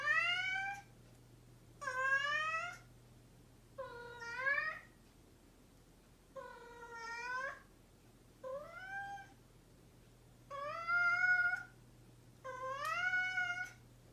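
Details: Domestic cat, described as mischievous, meowing again and again: seven loud, tonal meows roughly every two seconds, some rising and some falling, with short quiet pauses and a low background hum.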